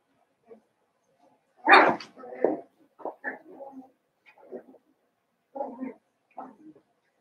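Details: Cavalier King Charles Spaniel puppies, seven weeks old, in a puppy pen inside a home, letting out one loud sharp yelp followed by a string of shorter, softer yips and whiny squeaks spaced about half a second to a second apart.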